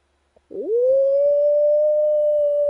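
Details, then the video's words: At a camp, a wild dog howls, opening with a quick scooping rise into a sustained, smooth, unwavering tone that carries on to the end without a break. "Wild dogs howling at camp"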